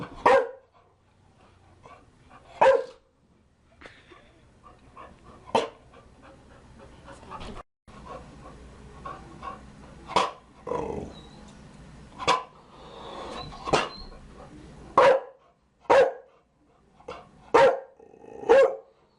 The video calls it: Chow Chow barking - DOG BARKING Sound Effect High Quality